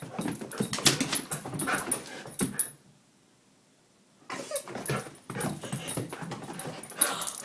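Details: Sadie, a female Goldendoodle, goes berserk when the names of her owner's sons, away for two weeks, are mentioned. Loud, rapid, irregular bursts of barking and yelping come in two runs, split by about a second and a half of silence.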